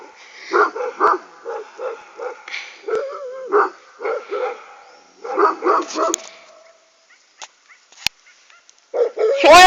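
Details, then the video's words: Aksaray Malaklı dogs being provoked, barking in deep, evenly spaced barks about twice a second, then a pause with clicks and a sudden high whine at the end; a man's voice is briefly heard. "aksaray malaklısı kışkırıyor"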